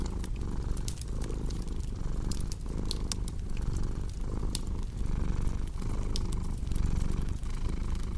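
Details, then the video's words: Steady low purr from a cat, pulsing with each breath in and out, beside a crackling fire with sharp wood snaps. "Purring Cat with Cozy Crackling Fireplace Sound"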